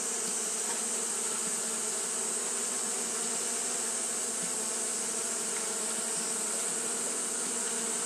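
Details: Japanese honey bees keep up fanning behaviour in hot weather, producing a smooth, sustained low hum rich in overtones, accompanied by a constant high sizzling hiss.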